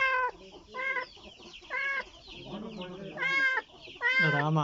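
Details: Kitten searching for its mother, giving insistent high meows in quick succession, several bending up then down in pitch, with faint lower voices in the background.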